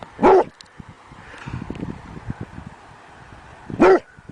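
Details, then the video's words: Dog barking while begging: two sharp, loud barks about three and a half seconds apart, with faint low rustling and quiet background noise between them. "SOUND OF DOG BAGGING BARKING DOG"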